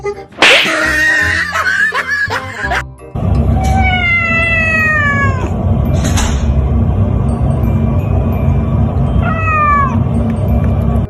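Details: Domestic cat meowing: one long, drawn-out meow sliding gently downward in pitch, followed later by a shorter falling meow, both over loud, steady background music with a brief burst of noise near the start.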